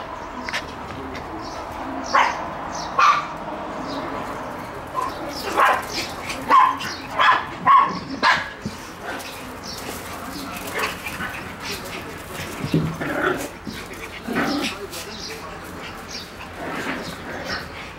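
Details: Shiba Inu puppies energetically playing chase: short high yips and small barks scattered through the clip, loudest in the first half, over constant scuffling, thumping and rustling noise.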